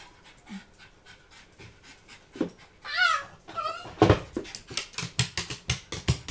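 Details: A female Blenheim Cavalier King Charles Spaniel with Chiari-like malformation, hydrocephalus and syringomyelia, about 15 minutes into a pain attack, gives sudden wavering, high-pitched screams of pain, then pants rapidly.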